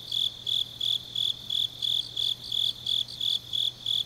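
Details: High-pitched pulsed chirps from grass insects in Changnyeong, South Gyeongsang, on a deep autumn night, roughly thirteen short bursts in steady rhythm, with a quiet constant low hum beneath.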